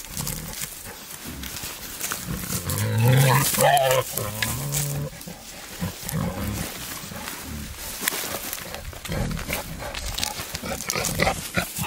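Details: A male wild boar courting a sow in wild nature gives a cluster of low, harmonic, moaning grunts and squeals mid-clip, then quieter grunting over steady rustling and outdoor noise.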